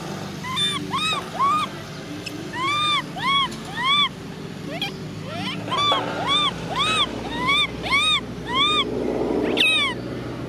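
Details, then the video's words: Baby macaque monkey crying, a rapid series of high, arched squealing cries repeated about twice a second, each rising and falling, over a steady low background hum. "baby monkey cries"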